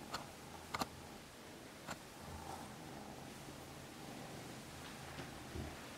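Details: Norwegian Forest cat giving a faint rhythmic purr, low throbbing pulses in breath-length bursts, a few clicks and rustles at the start.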